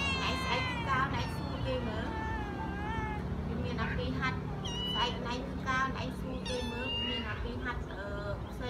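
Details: Cats and kittens, rescued strays cared for at home, meowing almost nonstop: overlapping bright, wavering cries that rise and fall, some short and chirpy, others stretched, with a low murmur underneath.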